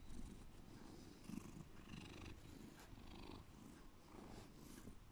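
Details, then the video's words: Deep purring from a pet cat, a steady low rumble that continues evenly throughout with soft rhythmic pulsing and no other clear sounds. "deep purring"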